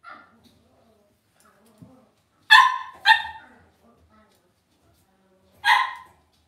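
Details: Cavalier King Charles Spaniel puppies in an indoor home puppy pen give three sharp, ringing yips. Two come in quick succession, then a third after a pause of about two seconds, with faint soft rustling between.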